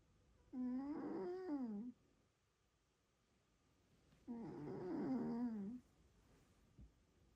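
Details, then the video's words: Cat snoring loud enough to rival a grown man, two long droning breaths of roughly one and a half seconds each, buzzy with a gently wavering pitch, separated by a quiet pause. "Мой кот храпит громче твоего папы"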